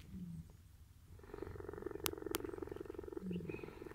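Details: A captive cheetah purring as a staff member cuddles it while collecting food bowls at day's end. A continuous pulsing, rumbling purr is broken by a few sharp clicks and a brief low hum.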